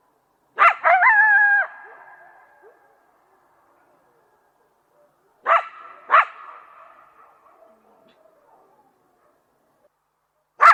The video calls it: THE SOUND OF COYOTES